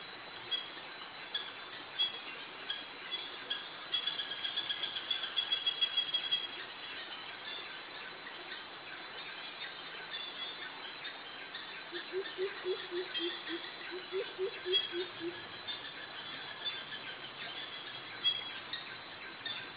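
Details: Cicadas and crickets in tropical jungle vegetation in Krabi, Thailand. A constant high, even ringing drone runs throughout, while a short run of low, repeated descending notes from another animal sounds midway.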